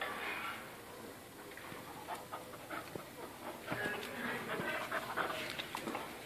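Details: Panting from a playful Spanish Water Dog puppy: rapid, soft rasping breaths, about two or three a second, growing busier toward the end, with light scuffling and faint indoor background.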